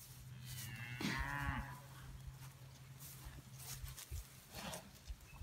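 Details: Hereford and Angus cattle are fed hay from a rolled-out round bale. A single moo of about a second swells and then falls away. A man speaks nearby over a steady low engine hum.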